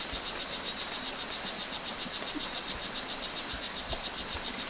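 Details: Strawberry dart frog, Oophaga pumilio, in Hitoy Cerere Biological Reserve, Costa Rica: a rapid run of short high chirps, about four per second at a steady pace, carrying over a soft hiss of forest insects.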